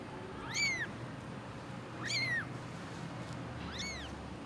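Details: Abandoned stray kitten rescued after surviving two days in -11°C snow without food or shelter, giving thin, high-pitched meows, each rising then falling, three cries about every one and a half seconds over a low steady hum.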